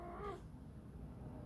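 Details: Young British Shorthair kittens, one large and one small, meet for the first time indoors; a single brief tonal mew right at the start, then only a low steady hum.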